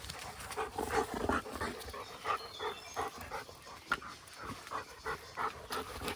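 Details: Golden Retriever panting rhythmically while running freely across a fenced farmhouse property, quick repeated breaths about three per second, with a man calling out nearby and rustling footsteps.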